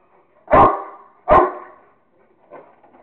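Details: Rottweiler named Kingston playing with a squirrel, giving two loud, sharp barks less than a second apart, then a fainter bark as the sound trails off.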